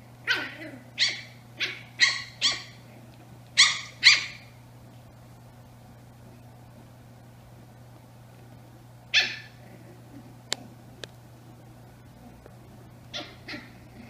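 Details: Twin-sister Brussels Griffon puppies, eight weeks old, playing indoors with a black Labrador around: high, sharp yips in a quick burst of seven over four seconds, then a lone yap and a final pair after a pause, over a steady low hum.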